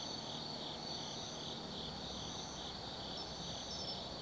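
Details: Autumn insects at night in the Tsukimi Forest, Kaizu, Gifu Prefecture, Japan, above the Nobi Plain: dense overlapping high trills and pulsing chirps forming a steady chorus, with faint low background rumble.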